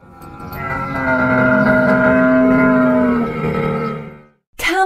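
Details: A camel giving one long, drawn-out, groaning moan of about four seconds, harmonic and slightly wavering, swelling then fading; a brief sharp sound follows at the end.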